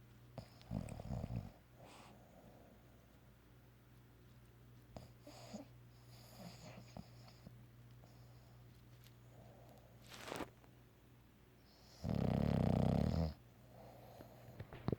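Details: Bulldog named Piggy napping in the afternoon and dreaming: a short low snore, then soft breathing and faint snuffles, followed by one long, loud, rough rumbling snore near the end, over a steady indoor hum.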